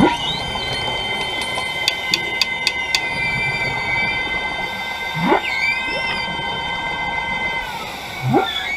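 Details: Humpback whale passing divers at the Carthaginian Shipwreck off Maui, Hawaii, recorded underwater: long sustained tonal moans, quick rising upsweeping chirps, and a burst of sharp clicks near two seconds, over steady underwater hiss.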